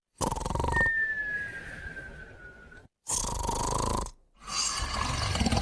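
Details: Moumou and a puppy asleep, snoring and whistling in unison. A harsh snore gives way to a long, thin whistle gliding gently down in pitch, followed by two more gravelly snores with brief silences between.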